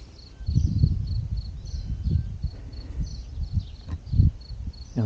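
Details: Crickets chirping at Camper park Playas de Luz in Spain, April 2022. Short, high chirps repeat steadily several times a second over low rumbling wind or handling noise, with a voice at the end.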